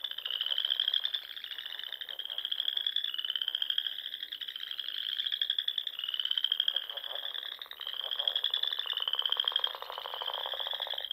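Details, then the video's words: Wild frogs singing in spring at dusk around small lakes and ponds in the rolling dunes of Nebraska's Sandhills: overlapping high, rapidly pulsed trills, each rising slightly and lasting one to two seconds, following one another almost without pause. "RELAXING SOUNDS OF FROGS"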